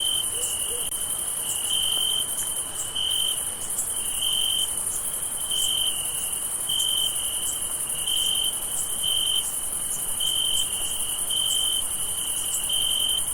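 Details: On a summer night, crickets chirp in steady pulsed bursts, with a thin, high continuous insect hiss above.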